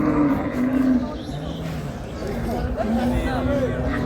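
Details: Improved-breed dairy cows with calves at the Ambari cattle market in Dinajpur, dated 7/6/26: a low, drawn-out moo rises over the busy market, with men talking and bargaining close by throughout.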